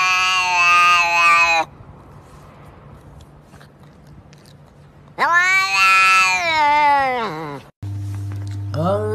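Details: Talking house cats giving long, loud, drawn-out meows with rich harmonics, one lasting over a second and another wavering and falling for about two seconds, with a person speaking and music nearby.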